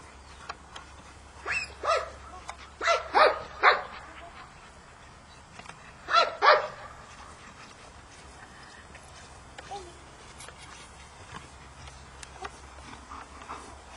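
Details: Labrador named Tomi barking during obedience training, about six loud barks in clusters: a single bark, a quick run of three, then a close pair, with quieter murmurs in between.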